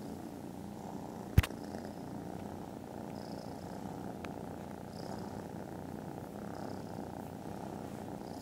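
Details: Snoozing foster kittens purr contentedly after lunch: a low, steady rumbling purr with soft breath swells, interrupted early by a single sharp knock.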